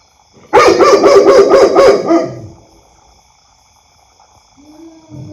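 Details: Dog barking loudly in a quick burst of about six sharp, harsh barks over under two seconds, then quiet with a faint low sound near the end.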